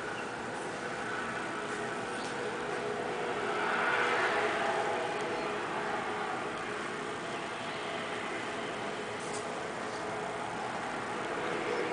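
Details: Steady broadband rumble like a running vehicle fills the whole stretch, swelling slightly near the middle, with no animal calls standing out.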